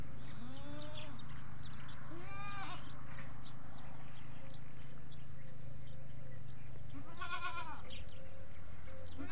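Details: Goats at a goat farm bleating for feeding, calls spreading from one animal to the rest; short quavering bleats at the start, a quiet gap with steady low hum, then one strong wavering bleat.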